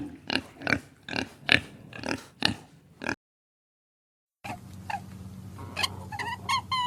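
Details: Farm pig giving a run of short, harsh grunts about every half second, then silence, followed by a different stretch of higher, whistled chirps over a low steady hum.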